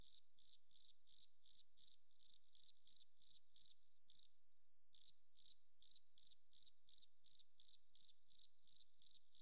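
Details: Shrill forest cricket chirps repeat rapidly at one high pitch, about three a second, stopping briefly past four seconds, then continuing in the same brisk rhythm; clean, quiet background.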